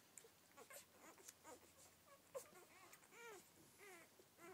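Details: Several Rhodesian Ridgeback newborns from a first litter of twelve, making faint, thin squeaks and wavering cries that grow clearer toward the end, against soft background rustling.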